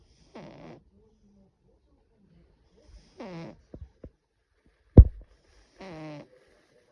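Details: Russian Blue cat snoring, recorded 8 April 2025: three rasping, harmonic snore bursts about every two and a half seconds, each with a falling tone, separated by quiet, with a sharp click and small knocks in between.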